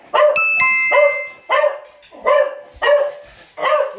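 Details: Beagle named Will, a pet dog who likes to lounge on unsteady spots, giving about six harmonic barks in quick succession, each rising then falling, with faint thin tonal lines in the background.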